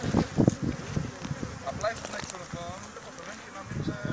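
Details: Bees buzzing during venom collection in Thessaloniki, Greece, October 2017: loud, rough low buzzing bursts at the start, then a continuous droning hum with faint voices in the background.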